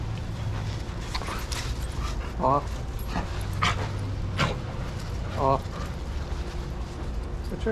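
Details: Dogs playing together in a shelter yard at Pima Animal Care Center, Tucson, Arizona, USA, under handlers' watch; two short, bright yelping barks about three seconds apart rise over a steady low rumble, with people talking nearby.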